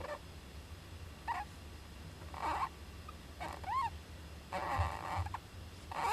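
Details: Juvenile Japanese giant flying squirrel in an owl nest box on 19 July 2010. Scattered short noisy bursts and one arched, ringing squeal near the middle, with steady low humming underneath.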